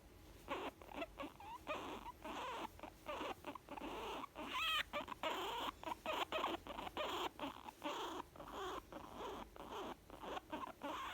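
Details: A young guinea pig, female, content and happy, giving a run of short rhythmic chutters with a brief wavering trill in the middle, over a faint background hum.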